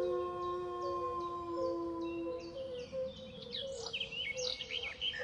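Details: Several wolves howling together, sustained overlapping tones at different pitches held steadily, the lowest fading partway through, while sharp descending bird chirps and twitters grow busier over the second half.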